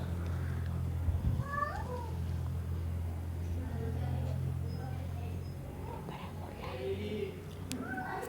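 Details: Domestic cat calling to a male cat, recorded indoors: a few short, faint, rising-and-falling meows scattered through the stretch over a steady low hum, with quiet background noise.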